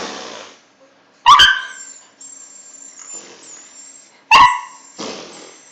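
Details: Domestic dog reacting to fart noises it hates, giving two sharp harmonic barks about three seconds apart, with hissing noise between them and high electronic tones in the background.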